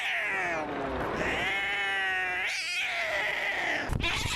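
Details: Maxwell the cat lets out a continuous, raspy caterwaul, a strained, buzzy wail that holds a steady pitch for about four seconds before breaking into a short harsh burst.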